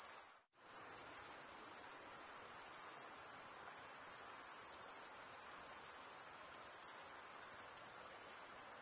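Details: Crickets stridulating, males rubbing one wing's toothed vein against the other, in a continuous high-pitched shimmering trill with fine rapid pulses, briefly cut to near silence at half a second, then steady to the end.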